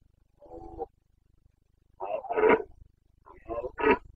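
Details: Rutting Carpathian stag, a red deer in the Bucovina mountains at the end of September 2022, gives one soft roar and then two louder, rasping roars, each swelling and then breaking off.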